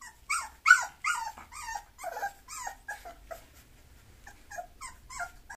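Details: Mixed-breed Bulloxer dog making rapid, squeaky whines and yips. Most notes fall in pitch and repeat roughly two to three times a second. They start loud and fade to softer, shorter peeps towards the end, indoors with little else heard.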